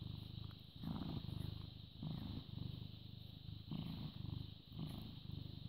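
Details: Purring British Shorthair cat, born 18 August 2010, recorded the morning of 14 May 2017 at 09:16; deep rumbling phrases rise and fall in roughly one-second breaths, with a constant faint hum behind.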